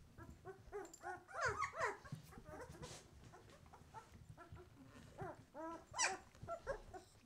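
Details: White Swiss Shepherd litter at twelve days old, eyes just opening: many pups whine and squeal together in rapid, overlapping rising-and-falling cries, a few louder yelps standing out amid faint shuffling and rustle.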